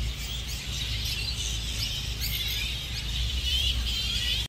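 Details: Grey-headed flying foxes roosting as a colony outside Adelaide Zoo, South Australia, May 2023, keep up dense high-pitched squabbling, with many short sharp squeaks and chirps overlapping throughout, set against a constant low hum of city noise.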